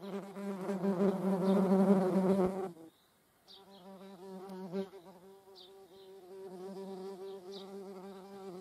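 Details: Median wasps (Dolichovespula media) alongside honeybees: a loud, low droning buzz for nearly three seconds, a brief silence, then a softer steady hum with faint high ticks.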